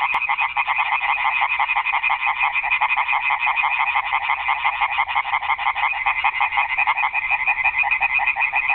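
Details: Night chorus of many frogs in a garden pond, the croaks merging into a continuous, buzzing, fast-pulsed rattle that holds an even loudness from start to finish.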